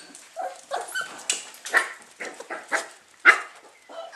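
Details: Eight-week-old Lakeland Terrier puppies waking up in June 2014, a litter giving rapid overlapping high whines, yelps and squeaks in bursts roughly every quarter second, eager to be let out.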